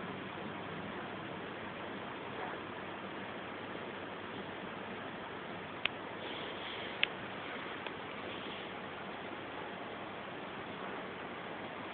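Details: Steady hiss fills the recording, broken only by a few faint ticks.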